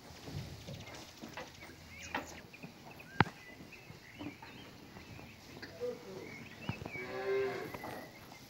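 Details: A cow among cows and a bull grazing in an open meadow gives one low, drawn-out, harmonic-rich moo near the end, after scattered rustling, soft thuds and a single sharp knock.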